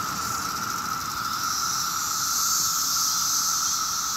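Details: Loud mass chorus of 17-year cicadas on a nice summer day in Maryland, a rare emergence in huge numbers: one constant droning buzz with a bright hiss above it, no pauses throughout.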